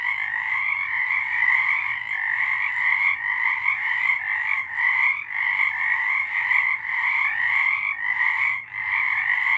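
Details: March 2023 chorus of frogs: an almost unbroken wall of rapid, pulsing trilled croaks, steady and bright throughout, with slight dips in loudness around five and nine seconds.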